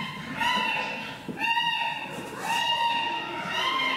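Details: Young male chimpanzee Kibali in a zoo enclosure, challenging leader Jambo for leadership just before feeding time, smashing against the window; tonal rising hoots with harmonics repeat roughly once a second, indoor echo and thuds.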